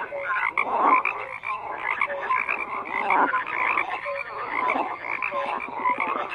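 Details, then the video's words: A thick chorus of croaking frogs: rough pulsed croaks overlap with brief clear notes, rising and falling in loudness but never stopping. "FROGS CROAKING"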